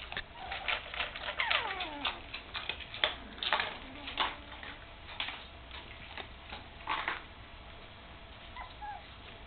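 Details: Puppies almost three weeks old, just opened their eyes and starting to walk, with their mother Candy; thin high whimpers with falling, sliding pitch come in scattered bursts over soft shuffling and pattering indoors.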